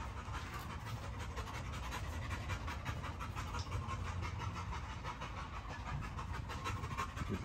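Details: Heavy rhythmic panting from a Great Dane, soft rasping breaths repeating steadily over a low rumbling background.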